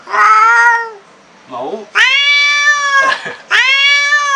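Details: Black cat, furious at meeting an unfamiliar cat for the first time, lets out long wailing yowls with a rich harmonic tone, broken by a brief lower rasping sound and a short gap in the middle.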